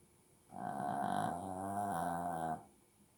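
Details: A Shih Tzu snores in its sleep, letting out one steady, buzzy, nasal breath of about two seconds with rich harmonics in a quiet room.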